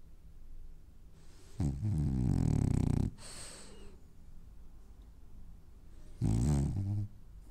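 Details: Dreaming French Bulldog snoring in its sleep: two deep, rasping, vibrating snores, the first about one and a half seconds long, the second shorter, with quiet breaths between.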